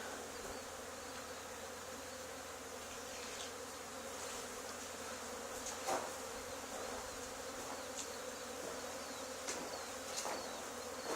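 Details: Honey bee swarm being removed from an old barn wall two days after another hive was cut out there; constant heavy buzzing, broken by a handful of sharp clicks and taps from the work.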